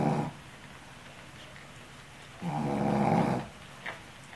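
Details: Female Shih Tzu snoring while asleep, exhausted after caring for her puppies; two broad, raspy breaths roughly two and a half seconds apart, the second longer, with a faint short sound near the end, indoors.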